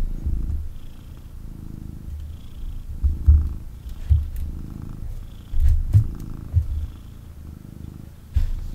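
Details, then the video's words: Male kitten purring intensely during cuddles after being picked up: continuous low rumbling purr rising and falling with each breath, broken by soft bumps and rustles as it moves. "Kitten Purrs and Snuggles"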